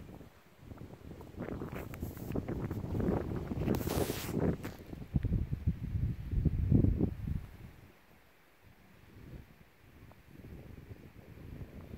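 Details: Strong wind buffets the microphone outdoors in rural farmland, with rustling and footstep-like thumps and no animal voice.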